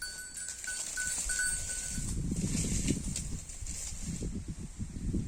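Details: Holstein Friesian cow eating grass: rhythmic low crunching and tearing bites, roughly three to four per second, strongest in the second half, over a steady high hiss and a thin, repeated whistled tone early on.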